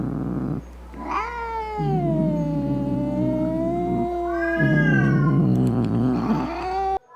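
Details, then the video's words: Domestic cat giving an angry, growling meow meant to scare off rats, opossums and other cats: long drawn-out wailing meows with rich harmonics, rising then sliding down, broken by a short pause, over a rough low growl and a steady low hum. "Som De Gato Miando Bravo - Ronronando Para Espantar Rato, Gabiru, Saruê e Outros Gatos"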